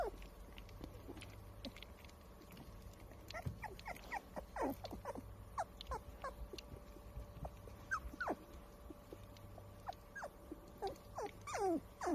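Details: Standard Poodle puppies at 22 days old, filmed on April 8, giving many short thin whimpering squeaks, some rising and falling, scattered and overlapping through the clip over a low steady hum.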